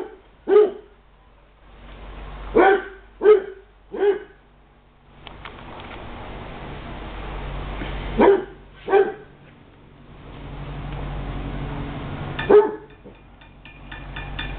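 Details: Basset hounds at play at the Light From The East Kennel bark in sharp single and paired bursts, a quick run of four early on, then scattered barks separated by quieter stretches of background noise.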